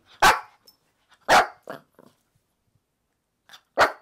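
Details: Maltese dogs taking over a bed at home, a family of male, female and their young daughter; three loud sharp barks spaced about a second or more apart, with a softer yip after the second.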